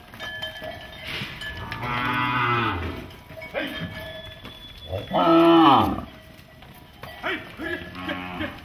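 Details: Cattle freed from goshala shelters on the outskirts of Nagpur, India, rushing through the streets; several drawn-out, harmonic moos, one rising and loudest near the end, over a steady background hum with cowbells.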